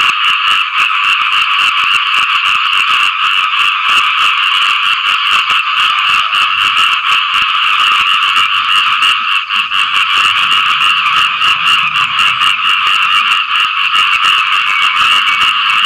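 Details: Frogs calling to attract mates after rain, many voices overlapping in rapid rattling croaks that form a steady, intense chorus.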